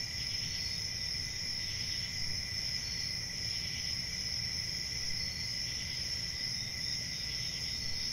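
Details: Crickets at night: steady, piercing high trilling with gentle swells in intensity, a dense chorus over a quiet low-frequency background.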